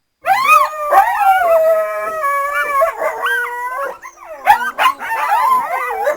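A coyote gives wavering, overlapping howls broken by sharp rising and falling yips.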